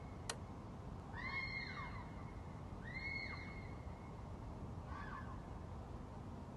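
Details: A red fox screaming at night gives drawn-out, wavering screams that sound eerily like a crying baby.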